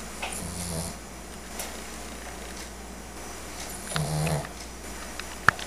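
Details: Sugar, a pet dog, snoring while dreaming indoors: two low, rumbling, buzzy snores about three and a half seconds apart, with faint clicks between and a sharp tap at the end.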